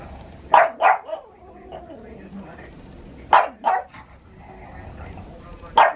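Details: Pet Pug in Saitama, Japan, recorded 6 May 2020, reacting to thunder with sharp double barks, each pair quick and punchy, repeated after about three seconds, then a single bark to close.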